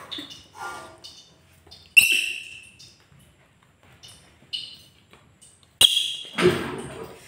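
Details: Pet monkey, angry, gives scattered high squeaks and two sudden loud shrieks separated by near-silence, each shriek sharp-edged and fading quickly, in a quiet room.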